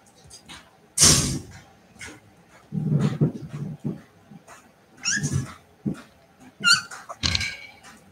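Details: Cavalier King Charles Spaniel puppies playing indoors in the family home where they are raised: soft thumps and scuffles broken by brief high squeaky whines, with a faint voice in the background.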